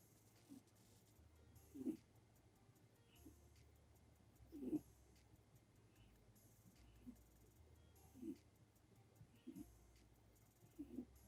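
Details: Gon, a seven-year-old red-eyed white Netherland Dwarf rabbit, asleep with eyes open and snoring, as it usually does while sleeping, filmed on an iPhone. Soft, low snuffling snorts recur about every two to three seconds over a faint steady hum.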